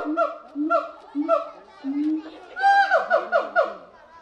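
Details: Gibbon calling, recorded for International Gibbon Day on 24 October: short harmonic hoots repeated about every half second, then a louder, higher run of quick rising-and-falling whoops tumbling one after another.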